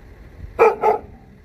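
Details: Two quick, mid-pitched barks in close succession from a Jindo dog, a cousin of the dog Song Baek-gu; each is short and punchy, with faint low background rumble.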